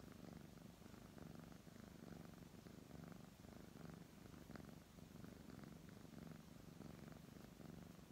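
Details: Petted brown tabby cat giving a soft, deep purr, pulsing roughly once a second as it breathes in and out, steady and close, with light stroking sounds.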